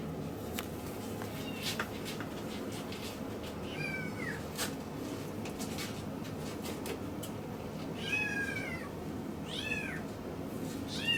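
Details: Male Miniature Schnauzer puppy born 13 August 2015, at a pet shop in Yokosuka, Kanagawa, Japan, gives high-pitched, downward-sliding whines in short bursts, a pair near the end, over a steady indoor hum.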